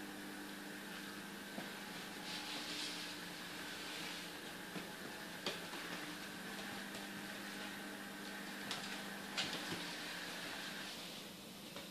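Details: Steady indoor machine hum with faint clicks and rustles; no animal voice is heard. A low mechanical drone holds throughout, broken only by a few soft knocks.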